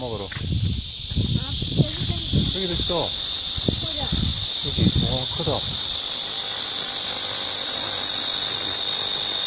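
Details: In midsummer in Korea, a steady, high, hissing cicada drone fills the air as people talk nearby.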